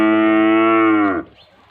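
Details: Nili-Ravi buffalo offered for sale in Pakistan gives one long, steady, deep low moo lasting over a second, rich in even harmonics, ending abruptly and followed by quiet background.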